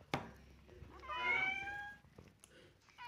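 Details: Hungry pet cat asking for more food after already eating gives one clear, drawn-out meow lasting about a second, steady then falling slightly. A sharp click comes before it, and the room is otherwise quiet.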